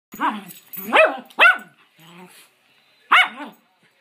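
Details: Adopted rescue schnauzers playing together at home, one barking in short sharp bursts with pauses, a person talking to the dogs between barks.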